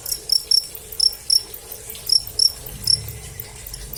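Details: Cricket chirping in a direct recording: short, shrill, high-pitched pulses, often paired, repeated roughly every half second, with brief pauses between bursts and a soft low background hum.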